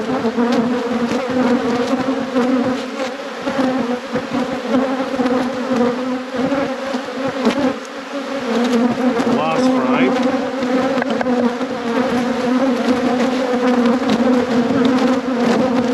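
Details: Honey bees in a beekeeper's apiary during a hive inspection at peak production, giving a steady, droning hum that holds a low, even pitch with a second higher tone above it throughout, with faint voices and handling noises underneath.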